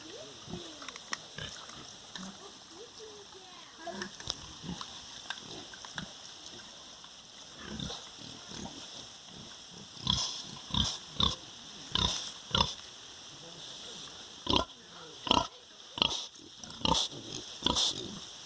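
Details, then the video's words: Farm sow with her piglets, quiet low snuffling at first, then loud, separate harsh grunts in irregular clusters through the second half. "Som do Porco, Real Animal Sound: Pig. Som real dos animais: Porco, leitão, porca."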